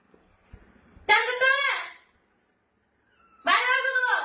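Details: Domestic cat being bathed indoors, giving two loud, drawn-out meows about a second each, rising at the start and then held level, separated by a short pause, with faint background noise before the first.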